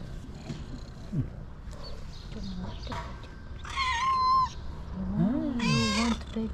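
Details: Cat producing two high, wavering meows about two seconds apart in the second half, amid people talking softly and low background murmur.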